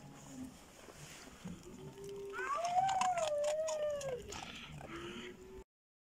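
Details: Šarplaninac puppy named Bitzer, six months old, giving one drawn-out tonal whine of about a second and a half that wavers and slowly falls, over steady low background noise with faint clatter before and after.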